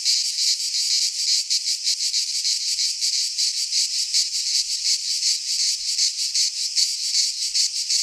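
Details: Cicadas of Greek fauna in a midsummer pine forest sing a bright, hissing, pulsating drone, beats repeating nearly three times a second, with a faint low rumble beneath.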